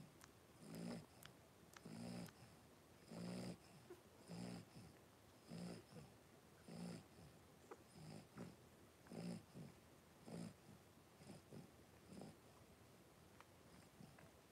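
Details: Five 3-week-old blenheim Cavalier King Charles Spaniel puppies, born on New Year's to Paris and Spike, wrestle and play in a home puppy pen; low snuffling grunts come in short bursts about once a second, with faint hiss above.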